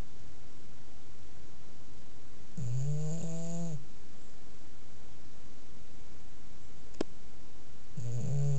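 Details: Bulldog snoring while asleep: a long, low, droning snore with a buzzy, harmonic-rich tone lasting about a second, a click near seven seconds, and a second snore starting at the end.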